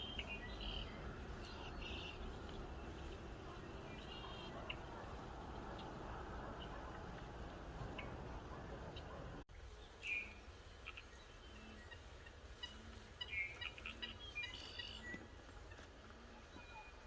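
Soft, low elk hums repeat about once a second, with small birds chirping overhead.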